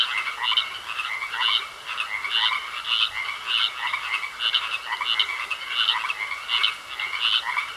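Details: Pond frog chorus: rhythmic, grating croaks pulsing about once per second over a constant thin whine, many callers overlapping in a continuous wall of sound.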